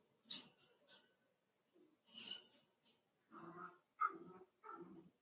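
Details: Cavalier King Charles Spaniel puppies playing together in an indoor home puppy pen: a couple of rough scuffling bursts, then a run of short, nasal yips and low growly whines crowding the last two seconds.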